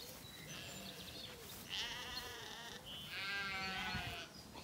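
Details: Weaned Zwartbles lambs relaxing in an orchard at evening, County Kilkenny, Ireland. Two longer, quavering bleats dominate, with fainter bleats and bird chirps behind.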